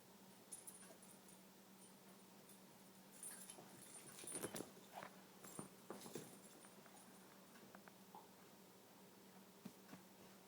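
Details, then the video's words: Daisy, a pet rat terrier, sneezes on command: a quiet run of short, sharp, breathy bursts around the middle, with soft praise of "good girl" nearby and a steady low household hum underneath. "Daisy sneezing"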